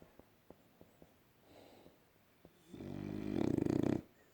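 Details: A French Bulldog snores while sleeping, a harsh rattling inhale swelling to a loud buzzing snort.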